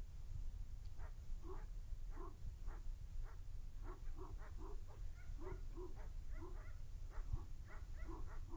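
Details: Nine-month-old male dog Lubim in a defense test, barking steadily in quick repeated bursts about twice per second, each bark short and punchy, over a constant low background rumble.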